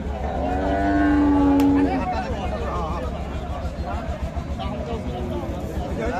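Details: Friesian breed cow accompanied by her calf at Khochabari weekly market, Thakurgaon, 19 December: one even, droning moo early on, followed by a steady low rumble of engines and crowd noise.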